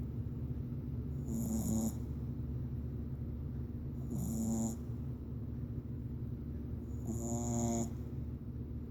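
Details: Female Boston Terrier puppy sleeping lazily and snoring loudly; three rasping, wheezy snores roughly every three seconds, each with a hissing whistle on the breath, over a constant low droning hum.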